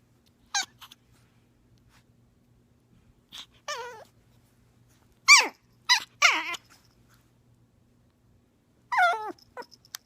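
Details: Young puppy making small noises: short high whimpering yelps and squeaks in brief bursts, a few in quick pairs, separated by quiet gaps, with faint low background hum.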